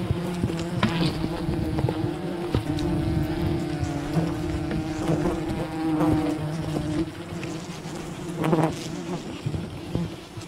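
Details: Swarm of wild bees buzzing steadily as their colony is raided for honey, a constant multi-toned drone with occasional clicks and scrapes, a louder burst around eight seconds.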